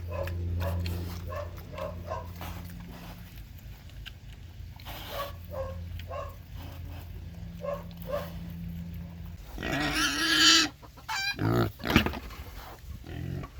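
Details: Domestic pig on a Hungarian farm: a run of short, low, rhythmic grunts repeated about twice a second, with a few quieter pauses between bursts, then a louder, harsh, noisy squeal and sharp squeaks near the end.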